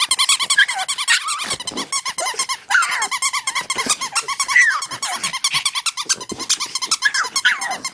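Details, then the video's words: Oscar the pet dog, wanting to play with his favorite chew toy, whines insistently indoors: loud continuous pulsing high whines, rising and falling, in nearly unbroken bursts over several seconds. "Dog wants chew toy"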